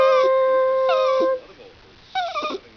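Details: An old Jack Russell Terrier "sings" along to singing on Christmas morning 2008, giving a long, steady howl that bends downward, then a shorter wavering one.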